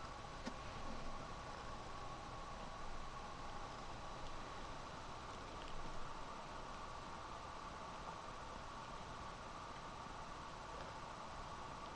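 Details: Even, fan-like background hiss with a faint hum, and no animal calls at any point.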